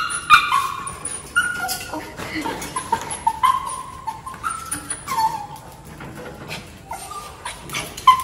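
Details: Maltese puppy named Cherry whimpering in excitement while greeting her owner home after ten days away; short high whines and squeaks scattered through, with some human voices and handling noise.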